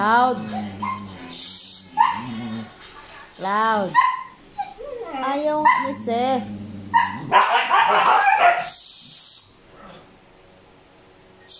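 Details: Noisy male Siberian Husky, restless because a female is in heat, giving a run of drawn-out, arching whines and yodel-like howls that rise and fall, some clustered quickly; a person speaks over parts of it indoors.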